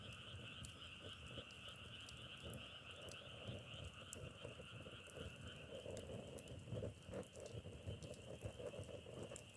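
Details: Massed frog croaking alongside a crackling log fire: a steady trilled drone runs throughout, with frequent fire pops and a rougher, heavier rustle of burning wood swelling in the second half.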